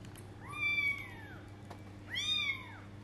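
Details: A 20-day-old kitten trying to go outside for the first time gives two thin, high meows about one and a half seconds apart, each rising briefly then sliding down, over a low steady hum.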